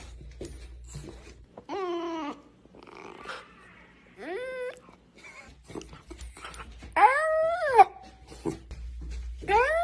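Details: Cute puppy yawning at the camera indoors: four short, squeaky yawn-whines, each arching up then sliding down, separated by soft rustles and faint breathing.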